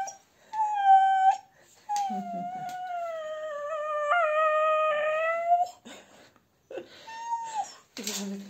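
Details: Husky at a dog grooming salon in Sofia, Bulgaria, asked to 'sing' while being brushed, gives long drawn-out tonal howls with rich overtones, one sustained for nearly four seconds with a pitch step, then a short rising-falling whine; people speak briefly.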